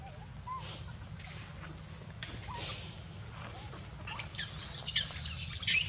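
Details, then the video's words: Poor baby monkey Dito wails with no milk and bites Anya; faint whimpers at first, then a sudden shrill, sustained scream breaks out near the end and continues in wavering high cries. "POOR BABY MONKEY SCREAMING NO MILK"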